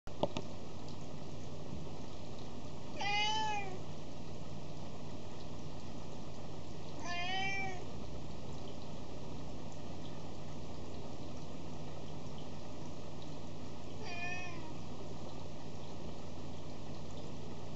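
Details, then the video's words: Domestic cat indoors, perhaps wanting food: three drawn-out harmonic meows spaced several seconds apart, each rising then falling, over a steady low hum. "The cat is saying something"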